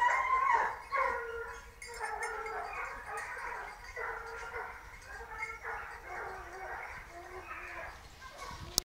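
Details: Hunting dogs chasing a wild boar, early in the hunt: a chorus of overlapping barks and high yelps pouring out continuously, a few voices rising above the pack, ending with a sharp click.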